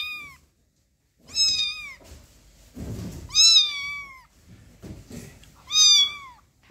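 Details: A kitten gives high, thin meows, each slightly arched in pitch, repeated every two seconds or so. Cat (kitten).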